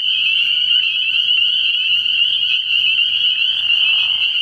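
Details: Spring peepers at a frog pond at night early in the year, many high, sharp peeping calls overlapping into a constant shrill ringing.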